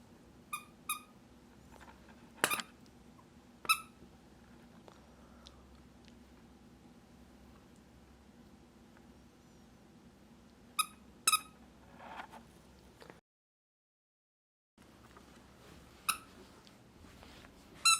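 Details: Bokjin, a three-month-old female mixed-breed puppy born December 2019, playing wildly indoors: short, sharp high yips come singly and in quick pairs, spread across the stretch with quiet room noise between and a brief silent gap.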